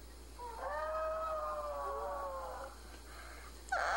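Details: Five-year-old male Chihuahua howling indoors, said to be pining for a female in heat; one steady, slightly wavering howl of about two seconds, then a brief louder burst of noise at the end.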